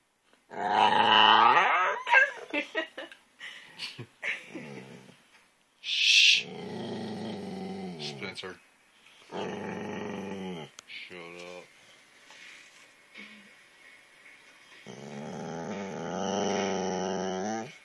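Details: Spencer, a pet dog, giving drawn-out, moaning, growl-like vocal bursts with rising and falling tones, separated by short pauses; a brief higher whine-like burst near the middle, and faint household sounds between calls.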